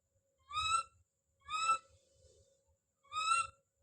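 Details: Don, a baby monkey, calling out with three drawn-out, rising, slightly wavering cries spaced about a second apart, faint low rumbling underneath.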